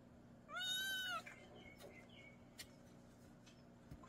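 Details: Single short, fairly level meow from a kitten in a mountain village, lasting under a second, followed by soft scattered knocks and rustling in a quiet room. Recorded for rat repelling.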